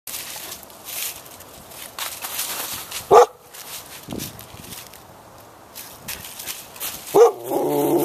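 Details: Samoyeds romping at a foster home on December 5, 2012: Oona, a rescue seized in a Pennsylvania and Delaware cruelty case, playing with resident Samoyed Maggie. Two short, sharp barks about four seconds apart over rustling and low background noise.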